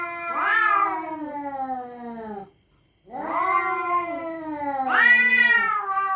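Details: At night, cats defending their territory yowl threateningly: two long, wavering, harmonic howls split by a half-second silence, each sliding downward after sharp upward surges, with a loud rising cry near the end.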